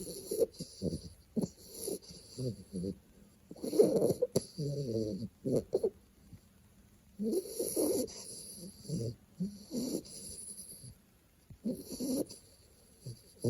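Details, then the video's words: Two-month-old American Bully puppy snoring softly while asleep: irregular rasping, throaty snores in short uneven bursts, some clustered and some spaced a second or more apart, with quiet pauses between them. "Bouledogue américain qui ronfle !"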